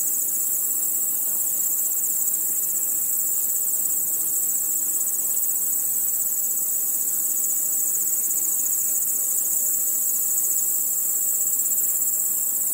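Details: Continuous high-pitched cricket chorus on a night, a constant shimmering trill with unchanging loudness and no other distinct sounds.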